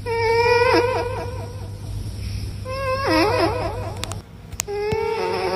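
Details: Cats meowing in a series of short, falling, harmonic-rich cries, several in the first two seconds and another cluster near three seconds, over a steady low hum and occasional clicks.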